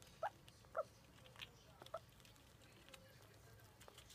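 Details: A red squirrel eating a hazelnut gives a few short, squeaky chirps, with soft clicking and rustling between them.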